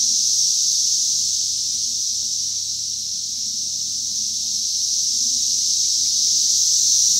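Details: Steady high buzzing of cicadas in 2021, an unbroken shrill hum that grows a little louder toward the end, with a low background rumble.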